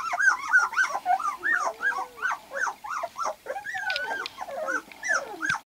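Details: Several two-week-old white golden retriever puppies from Lily and Axil's litter, newly able to see and hear, whine and squeak in wavering arched cries, some drawn-out, others short yelps, overlapping with no pause.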